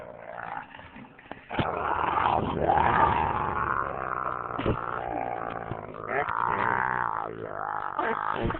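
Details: Husky and boxer playing together at home, one pestering the other as she tries to sleep on a lap; a long, continuous, rumbling, harmonic growl with a rising and falling pitch, grumbling for about seven seconds after a quiet start.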